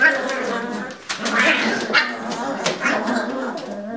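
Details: Lagotto Romagnolo puppies tussling in their pen, producing continuous overlapping nasal whines and yips that rise and fall, with a brief dip near one second before the squabbling noise resumes.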